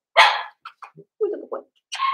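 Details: Blenheim Cavalier King Charles Spaniel puppies from a litter of five born at New Year's, indoors in a home puppy pen; a loud opening yelp followed by short, broken yips and squeaky barks, then a higher shrill cry, in a small room.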